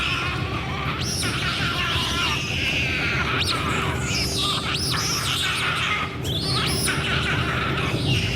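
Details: Endangered giant otters in the Northern Pantanal, Brazil, recorded in May 2017: a few high squeals that rise and fall in quick arcs, spread over the recording, above a constant low hum and dense background noise.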